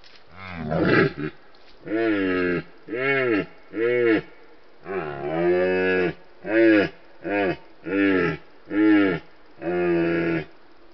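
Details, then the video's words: Rutting red deer stag (Cervus elaphus) in Retezat National Park, Romania, caught by wildlife monitoring cameras during the mating season: about eleven hoarse, harmonic bellows repeated roughly once a second, each swelling and fading. "Cerb (Cervus elaphus) la boncănit"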